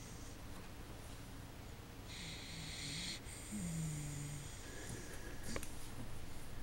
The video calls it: Ciro il bassotto russa